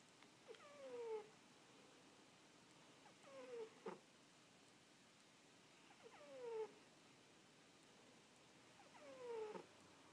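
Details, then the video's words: Halley, a napping cat, gives short squeaky snores, each a brief downward-sliding squeak about every two and a half to three seconds, four in all, over a faint steady background hiss. "Snoring Kitty"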